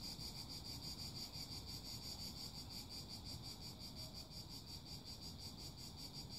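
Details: Cicadas singing in a dense, strident chorus, a high buzzing band pulsing steadily about three times per second without pause, over a constant low rumbling background noise.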